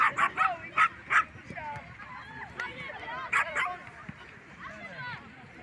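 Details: Small poodles barking to defend themselves and their owner: four sharp, high barks in quick succession during the first second, then two more barks a couple of seconds later, with people talking throughout.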